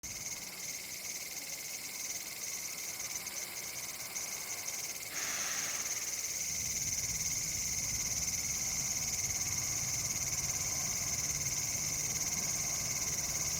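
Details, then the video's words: Cicadas in a bamboo forest in India, October 2019, singing on a cool evening or night: a continuous high shrill buzz, steady throughout, with a brief lower burst near five seconds and a low background hum after. "인도 매미 소리 - Sound of cicada India"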